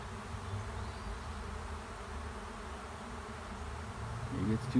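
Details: Swarming honey bees settling into an empty hive by a driveway, a continuous droning buzz of many bees, low and level, briefly louder and busier just before the end.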